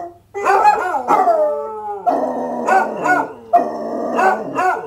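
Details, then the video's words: Dog in full howl, sustained harmonic wavering notes sliding down then holding steady, broken by short yelping accents; a faint low hum sits in the background. "This Movie is for The Howl of It!"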